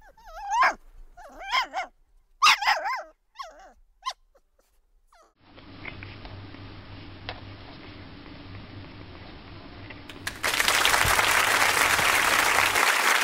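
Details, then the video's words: French Bulldog making dramatic vocal sounds: several short, wavering, warbling moan-like bursts in the first few seconds, then a steady low hum and finally loud hissing noise. "Dramatic Funny French Bulldog"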